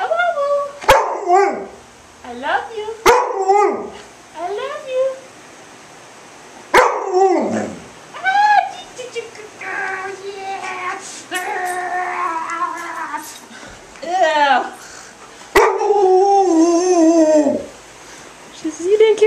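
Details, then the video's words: Female pet Alaskan Malamute talking back, protesting at being given only one treat: drawn-out, bending woo-woo howls and grumbling moans in uneven bursts, with a person speaking between them and a few sharp clicks. "My Malamute Talks Back"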